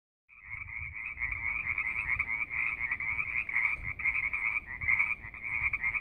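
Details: Frogs calling at Wildcat Canyon: a dense chorus of rapid, pulsing trills, steady and continuous, with low rumbling background noise.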